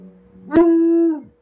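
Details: Early in the morning, a bloodhound howls at its owner and won't stop, giving a short, steady howl that starts abruptly, holds an even pitch, then drops away.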